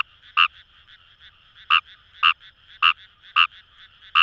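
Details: Kawamura's rice frog in paddy fields along the Kamo River, Itoshima, Fukuoka, Japan: six sharp, short croaks at irregular intervals over a steady background chorus of distant frogs.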